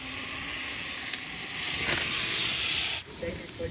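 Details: Cobra caught at Babalpura village, giving a loud, rushing breathy hiss that swells over about a second and a half and then cuts off sharply, with men talking nearby.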